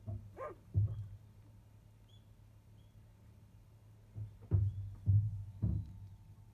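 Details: Five-day-old field-line Labrador Retriever puppies, shortly after 1 pm, with their mother away eating; a short rising squeal early on, then scattered muffled bursts and low thumps over a steady low indoor hum.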